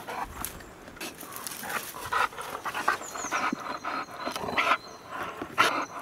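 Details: Duke, a heavyweight American Bulldog with heterochromia iridis, described as a gentle giant, pants in rapid breathy bursts, roughly two per second, with uneven loudness and faint thin tonal sounds high above.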